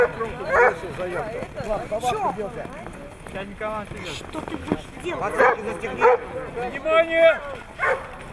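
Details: Siberian Husky recorded in Nizhny Novgorod on 3 February 2017, a competition day: chattering, wavering yelps and whiny yips in uneven bursts, ending in a sustained wailing note, with people talking nearby.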